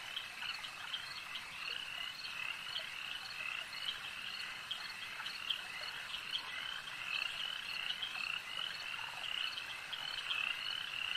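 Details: At a lake, massed frogs keep up a thick, high-pitched trilling chorus, with a few sharper clicks standing out against the steady drone.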